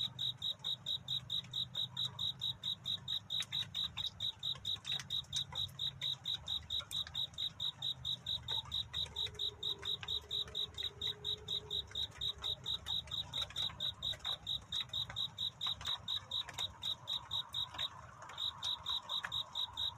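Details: Cricket singing at night in a courtship song: a steady train of short, bright chirps repeated about twice a second at one high pitch, with faint low rumble and a few soft clicks beneath.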